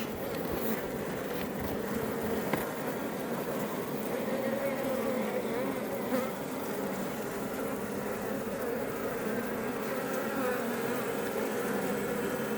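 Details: Iberian honey bees (Apis mellifera iberiensis) swarming outside a Langstroth hive near Roquetes, south Tarragona, Catalonia, Spain, building comb; a dense steady hum of many wings, with layered buzzing bands and no breaks throughout.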